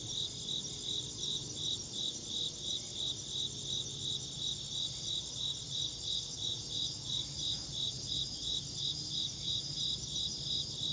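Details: Continuous insect chirps, shrill and pulsed, roughly three each second in an even rhythm, with quiet low-frequency background noise.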